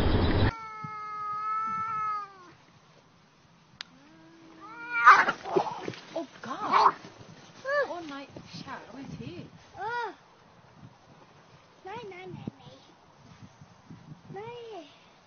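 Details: Fight between two cats at noon, caught in a quiet setting: a steady, level moaning howl lasting two seconds, then a burst of harsh screeches followed by short, arched yowls, each rising and falling, repeated with brief pauses.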